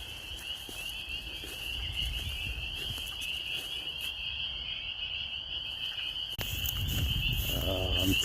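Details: Spring peepers calling in spring in rural Maine, a dense chorus heard coming from one side: continuous high, shrill peeping that merges into a steady ringing tone, with a low background rumble and a sharp click near the end.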